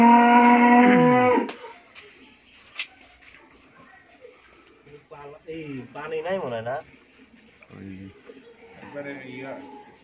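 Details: A first-calving Friesian dairy cow with a heifer calf, Bhangura, Pabna, Bangladesh, opens with a loud, steady moo that falls away after a second and a half, followed by soft clatter and low human voices.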